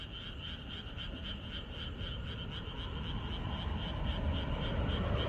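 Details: Frog chorus in rural surroundings on the night before rain. Pulsed, repeated croaks make a steady trill, partly masked by a low rumbling background that grows louder toward the end.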